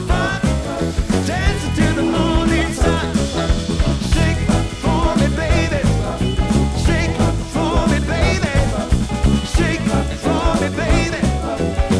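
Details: Upbeat swing-style music with brass and a driving beat plays loudly throughout, and no animal sound is heard.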